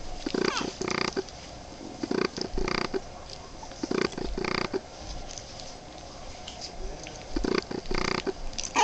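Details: Small growls and grunts from Boston Terrier puppies aged 23 days, short throaty pulses arriving in clusters, with a quiet stretch in the middle and a last busy run near the end.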